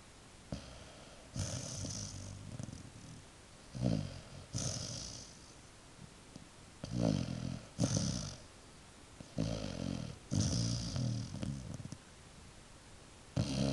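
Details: A dog snoring as it drifts off to sleep. Low, rumbling snores come in uneven bursts every one to three seconds, each with a raspy breathy edge, in a quiet indoor room.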